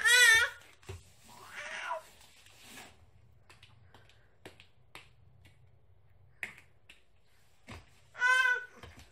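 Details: Cat meowing in a home setting, with two bright, drawn-out meows at the start and end, a rougher cry between them, a man's brief speech, and scattered clicks and handling noises.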